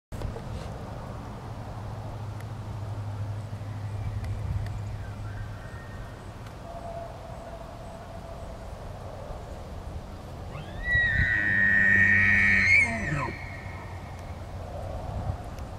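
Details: An elk at an animal park bugles: a sliding climb into a high, sustained whistle over a low, throaty undertone.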